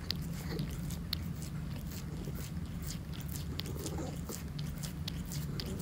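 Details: Monkey, a calico cat, laps eagerly at a tuna treat, producing dense irregular clicking and smacking licks throughout, with a low constant room hum beneath.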